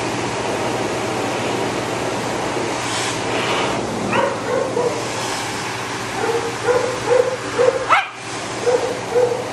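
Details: Matted Shih Tzu that bites when in pain, being dried: short, high whimpering yelps come in a quick run late on, with one sharper rising cry, over a constant loud roar of drying air.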